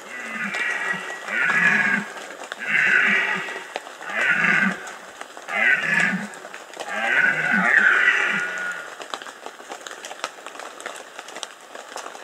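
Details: Red deer stag in the rut, Bieszczady, Poland, 2015, giving a series of six hoarse, guttural roars about every one and a half seconds, the last drawn out longer, then quiet background.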